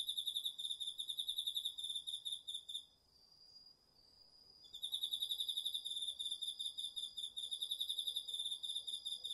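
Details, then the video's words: Cricket among autumn insects singing at night in a garden field, DR-40X recording: nearly three seconds of quick, evenly pulsed high chirps, a two-second gap filled by a steady high hum, then a long renewed run of chirps. "秋の虫の声 ASMRでおやすみなさい 〜虫の音を枕元で聞いてね〜 こおろぎ他"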